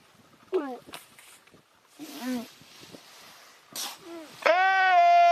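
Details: A seal, possibly an elephant seal, gives a few short, wavering cries, then one long, steady, nasal moan.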